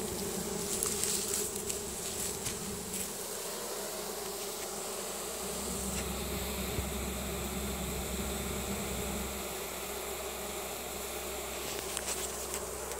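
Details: Swarm of honey bees marching into their new home, signalling with Nasanov pheromone: a constant droning buzz layered over a low steady hum, with scattered clicks and a faint high whine that shifts midway.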